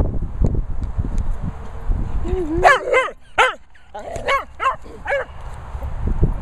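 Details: Cocker Spaniel barking during a retrieve: a whine-like rising note, then a burst of clipped barks in quick succession, a pause, and another run of four or five barks, with low thuds and movement noise underneath.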